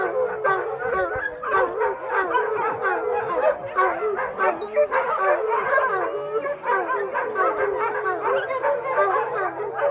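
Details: Roughly 600 sheltered dogs howling together following a thunderstorm, producing dense overlapping wails that rise and fall, interspersed with frequent barks and high yips.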